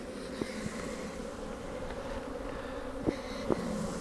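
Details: Western honey bees in a hive checked after a hard winter freeze fan in response to an electronic smoker, a steady low droning hum with faint clicks and wind on a windy day.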